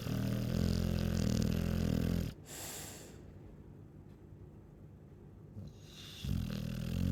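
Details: Deep, rattling snore from a Chow Chow held for about two seconds, followed by a long hush and the start of the next rumbling breath.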